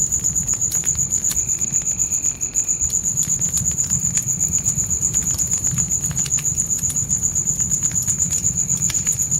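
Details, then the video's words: Natural night crickets with a crackling campfire in a tent: a constant shrill, evenly pulsed chirp near four beats a second, sharp fire pops scattered through, and a brief dip in the crackle midway. "Fire & Crickets Night Ambience"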